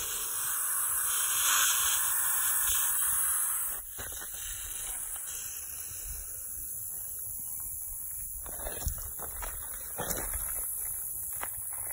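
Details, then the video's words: Eastern hognose snake, fall 2019, hissing and flattening out to scare off a potential predator, the person filming: a breathy, broadband hiss holds for almost four seconds, then cuts off, leaving quiet rustling and faint handling noises. "Hissing Eastern Hognose Snake!"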